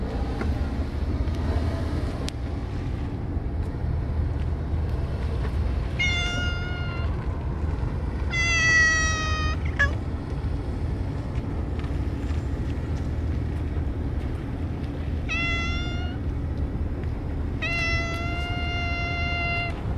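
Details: Stray cats gathered outdoors for feeding, several loud meows with clear harmonic tones, some drawn out and gently falling, spaced irregularly over steady low traffic-like rumble.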